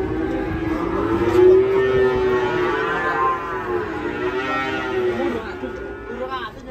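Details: Cow rampaging after coming down from a truck and falling into a ditch, giving one long, drawn-out, low moo with rich harmonics that holds for about five seconds before tapering off, faint background noise underneath.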